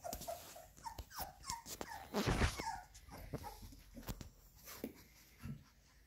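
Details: Labrador Retriever puppies indoors, eating minced beef: a steady stream of short, high, whining whimpers, several a second, mixed with slurping, chewing noises and a louder rustle midway.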